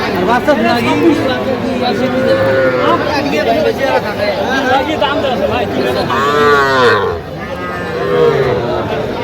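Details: Cattle at a market where a Faridpur farmer buys very small bull and heifer calves, Bangladesh, 27 September 2025; one drawn-out harmonic moo near the seventh second rises over continuous crowd chatter and men's voices.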